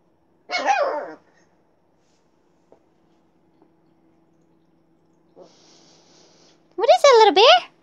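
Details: Siberian Husky / Alaskan Malamute puppy giving two short, high, harmonic yelping vocalizations, the second wavering up and down like a howl-bark, separated by several seconds of near silence with faint taps and a brief hiss.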